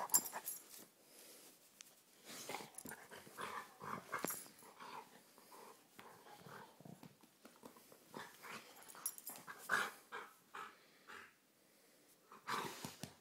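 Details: Pet dog rough-housing indoors growls and wheezes in rapid, uneven bursts amid scuffling and sharp clicks; a person briefly says to be nice.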